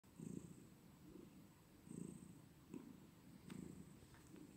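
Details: Cat purring: low, rough rumbling swells that pulse in and out about once every second or two, with quieter gaps between breaths and a faint steady high hiss behind.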